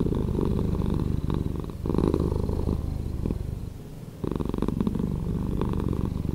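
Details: Slowed-down purring of a cat, a dense low rumble with a gritty pulsing texture, fading briefly near the middle before resuming at full strength.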